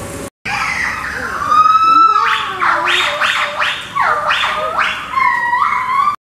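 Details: A family of four white-cheeked gibbons, a father who calls most, a mother and two young, gives loud siren-like calls: a long clear note sliding upward, then quick ringing whoops swooping up and down, ending with shorter rising notes.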